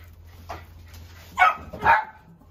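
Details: Dog giving a soft bark followed by two louder, sharp barks close together, over a faint low hum.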